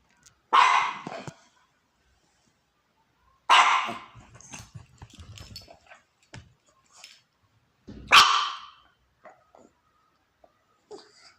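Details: Small pup perched on a couch barks at the neighbours, three loud sharp barks several seconds apart, followed by soft huffs, snuffles and small movement noises.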